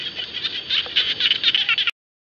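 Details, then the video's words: Frogs of the kind called "jana" in a dense chorus across rice fields, a high, shimmering wall of rapid trills that cuts off abruptly. "Frog Song (khiat Hong) ຂຽດຮ້ອງກ້ອງທົ່ວທົ່ງນາ"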